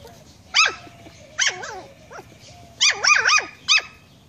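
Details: Puppy kept as a pet yapping at a fish head, short high-pitched barks with bending, wavering pitch, two early single yelps, then a quick run of three linked barks and one last yap, over a steady low hum.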